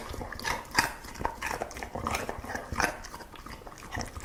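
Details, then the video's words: Dog eating, with wet smacking and crunching bites repeated in quick irregular bursts, several louder snaps standing out. "냠냄 먹는게 젤 좋아!"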